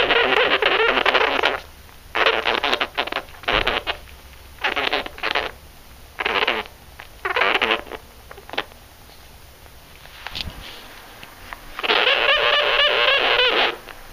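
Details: Newly adopted pet sugar gliders, a pair upset at being on camera, make repeated harsh, buzzing bursts about a second long with short gaps between them. A longer rasping burst comes near the end, indoors.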